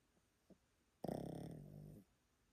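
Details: Old Pomeranian Yotaro snoring loudly in his sleep in Japan: a faint breath, then a full second of deep, fluttering, rattly snore that starts sharply and fades slowly, indoors.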